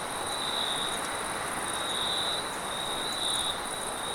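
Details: Nocturnal crickets heard through heavy wind noise, giving a few soft repeated chirps and a thin continuous high tone beneath a loud, even rushing roar.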